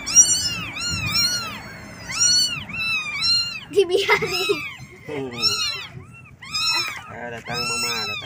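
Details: A group of kittens crying for their mother to feed them: rapid high arched mews, roughly one a second, overlapping and uneven, with a brief rougher squall in the middle and a faint background hum.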